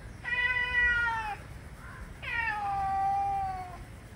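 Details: Angry male cats in a heated argument: two drawn-out, harmonic yowls, the first about a second long and slightly falling, the second longer and wavering, separated by a brief pause over a faint low background rumble.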